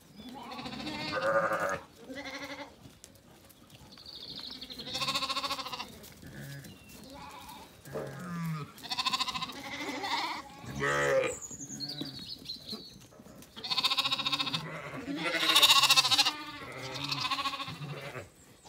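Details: Zwartbles ewes and lambs on a County Kilkenny farm in Ireland, settling for the night at sunset after feeding: a lamb calls and a ewe answers. Many overlapping harmonic bleats, some wavering, come in quick succession, with high bird chirps between them.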